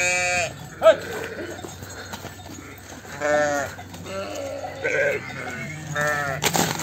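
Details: Sheep and lambs on a sheep farm during the separation of lambs from ewes, giving several loud, wavering, harmonic bleats of varying pitch in quick succession, with lower overlapping calls from the flock and a sharp knock near the start.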